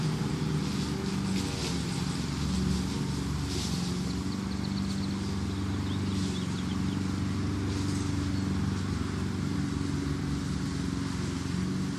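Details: Steady low engine-like rumble with broadband noise throughout and faint higher hiss, no animal voice heard.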